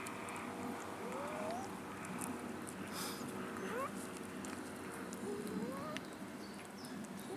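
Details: Abandoned cats in a city park begging for food, wandering for food and attention; about three short rising, harmonic meows spaced a couple of seconds apart, under a steady noisy background with people talking nearby.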